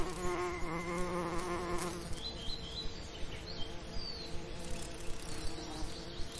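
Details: Bee buzzing over summer lavender: a loud, close drone for the first two seconds, then a fainter hum. Short high bird chirps and whistles sound in the background.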